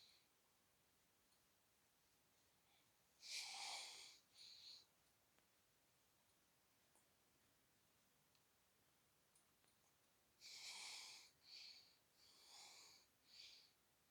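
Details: A friendly Shiba Inu named Chichi, kept in Kanahama, Aomori City, Japan, sneezes and snorts after head-stroking and brushing of its neck and back; breathy hissing bursts in two clusters, each followed by shorter puffs, in an otherwise quiet setting.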